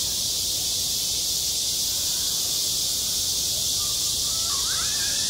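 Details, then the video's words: Cicadas singing on a school playground in high summer: a dense, steady, hissing buzz fills the high range throughout, with faint short whistled notes rising near the end. "한 여름 운동장에서 매미가 울고 있다 - 여름의 소리, 학교 종소리, 매미 울음소리"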